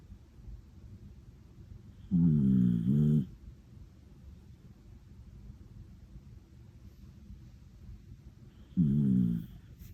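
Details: Deeply sleeping cream female Miniature Dachshund Ramu snores twice, about seven seconds apart; each snore is a low, rattling, buzzy rumble lasting about a second, with soft room hush between them.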